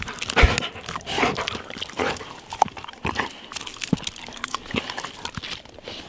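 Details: A black male Labrador Retriever playing gives short, rough play grunts and huffing snorts in uneven bursts.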